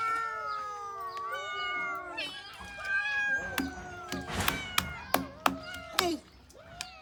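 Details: Abandoned cats calling in a chorus of long, drawn-out meows that glide downward, followed by sharper, shorter cries, with sharp knocks and clatter and voices in the background.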